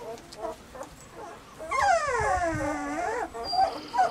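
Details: Summer recording of Weimaraner puppies Bailey, Hailey and Jenny: short soft whimpers, then one long strained whine that starts high and sinks steadily over about a second and a half, followed by brief yips.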